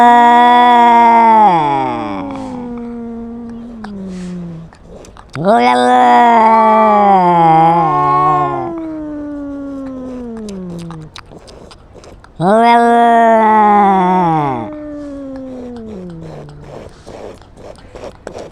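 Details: Domestic cat meowing loudly while quarrelling with another cat: three long drawn-out wailing meows, each two to three seconds, rich in harmonics and falling at the end, separated by quieter pauses.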